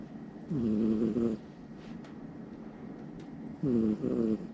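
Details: Snoring of a Somali cat deeply asleep at night, lying next to a person: two buzzy, harmonic snores of just under a second each, about three seconds apart, with soft hiss between them in a quiet room.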